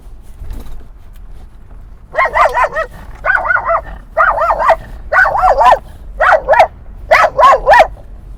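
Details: Dog barking at other dogs at a dog park in San Diego at sunset: loud, harmonic, wavering yelps in quick bursts of two or three, about six bursts over six seconds, over low rumbling background noise.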